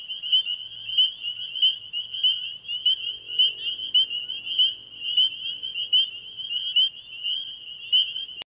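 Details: Night chorus of many spring peepers at an ecovillage pond: high, clear piping peeps overlapping constantly in a pulsing rhythm, with a faint low murmur underneath and a sharp click at the very end.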